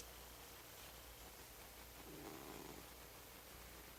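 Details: Niko, a pet cat, making odd noises in the morning: a low rough purring or snore-like rumble, with a brief brighter murmur around the middle, under a steady hiss.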